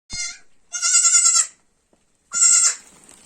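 A young goat bleats in high, nasal cries, one short and two longer, with brief pauses between.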